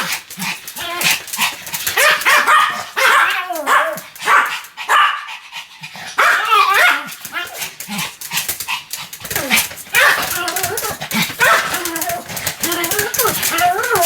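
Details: Continuous barking from Sam, a Pomeranian: dense run of shrill, rapid yaps and whining barks with little break, some human voice mixed in beneath.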